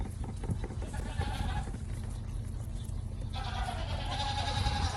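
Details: Several goat kids suckling from a collective bottle feeder, bleating in overlapping wavering cries that swell after a quieter stretch, over constant low-frequency background noise.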